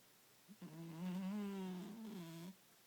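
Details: Bengal cat snoring loudly indoors: one long, drawn-out, buzzy snore of about two seconds with a steady low tone and rich harmonics, ending abruptly in a quiet room.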